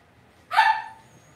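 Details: Cavalier King Charles Spaniel puppy in an indoor home puppy pen gives a single sharp, bright yip lasting about half a second, falling slightly at the end, against a quiet room hum.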